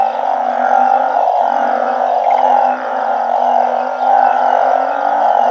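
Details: Banded bullfrogs and balloon frogs calling en masse at night in a Thai home garden built to mimic their natural habitat. Continuous overlapping droning calls, with one brief dip in loudness midway.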